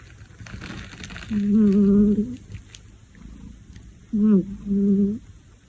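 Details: Domestic cat purring loudly enough to keep a nearby kitten awake and staring. Two bouts of low, steady, tonal humming are heard, the second broken into two short pulses, with quiet room background.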